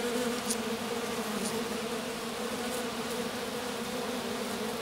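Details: Honey bee queen grounded in grass with a handful of workers, the swarm having turned back to its hive; dense steady buzzing hum with two droning pitches, brief faint taps.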